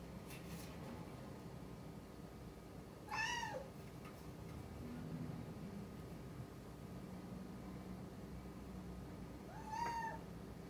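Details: Rucola, a rescued one-year-old sabashiro (white-and-tabby) cat, calling for attention at a closed-off room; two drawn-out falling meows about seven seconds apart against a low indoor hum.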